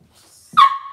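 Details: Single sharp yelp from a Cavalier King Charles Spaniel puppy kept in an indoor home puppy pen, an abrupt onset settling into a brief steady whine; faint low rustling just before, then quiet.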